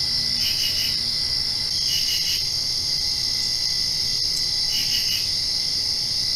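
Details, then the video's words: Crickets calling at night right after a rain shower: constant shrill high trilling with clustered chirp bursts near the start, middle and end, each burst of three or four quick pulses. "Crickets Chirping"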